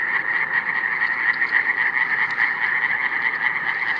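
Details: Iberian tree frogs (Hyla molleri), recorded in 2017, give a dense, continuous chorus of rapid rasping pulses at an even pitch, with no other sounds standing out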